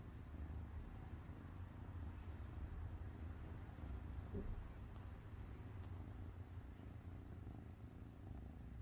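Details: Domestic cat purring, a steady low rumble held evenly through the whole stretch without breaks, faint hiss above it.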